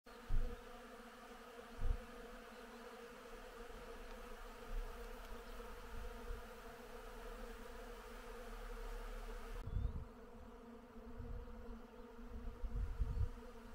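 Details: Bees working on flowering willow in spring, a dense, steady droning hum with layered, even tones that holds throughout, with occasional low thumps of wind or handling rumble.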